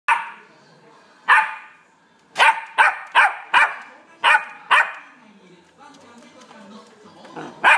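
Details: A male sable-and-white Welsh Corgi puppy, born 27 March 2016, gives sharp, high barks in uneven bursts, some in quick pairs.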